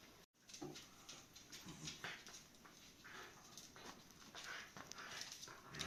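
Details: Shiba Inu puppies playing with and around their mother Miko at a breeder's home in the Netherlands, indoors. Soft, short whines and playful grunting sounds are mixed with scrabbling paws and light clicking noises.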